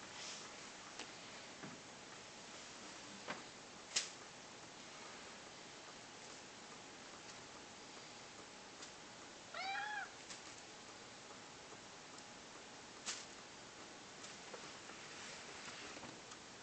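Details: Male house cat Persik, indoors, coaxed by his owner to 'talk' and say 'kva': one short, clear, harmonic meow rising then falling mid-recording, otherwise a quiet room with a few faint clicks and taps.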